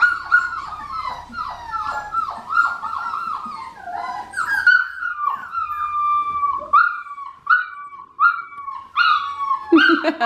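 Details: Blue merle female Australian Shepherd puppy from an Oklahoma breeder whimpering indoors: high, nasal whines that slide downward, repeated about once a second in short bursts, with brief yelps near the end and a faint low hum behind.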